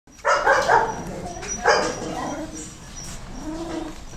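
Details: Goldendoodle puppies, a Golden Retriever and Standard Poodle cross, give two short, bright yapping barks close together near the start, then a softer, drawn-out whine trails off under a faint background hiss.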